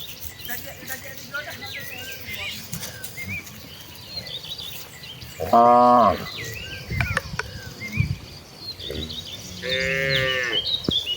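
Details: Village cattle in a herd walking calmly to green rice-field pastures to graze; a low harmonic moo at about six seconds and another near ten seconds, over steady background music with scattered human calls.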